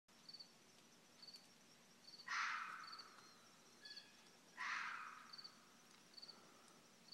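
A red fox gives two harsh, rasping cries a couple of seconds apart, over faint high ticking.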